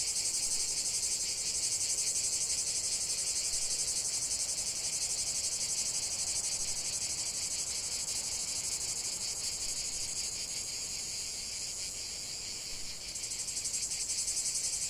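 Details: Continuous cicada chorus, a piercing high electric-sounding buzz pulsing rapidly and evenly, dipping briefly around thirteen seconds before resuming at full strength.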